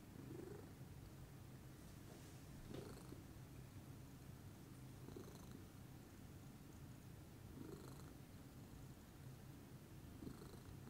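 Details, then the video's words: Morning purring from Pudding, a lilac Scottish Fold, calm and relaxed; a low rumbling purr that swells with a brief brighter breathy rise roughly every two and a half seconds, following each breath, otherwise quiet surroundings. "calming purr meditation by pudding"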